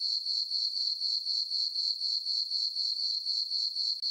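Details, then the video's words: Chirping crickets at night on a farm meadow under dark skies and a full moon; a shrill, even tone throbbing in regular rapid pulses, roughly four per second, on a silent background. "Cricket chirping sounds for sleeping"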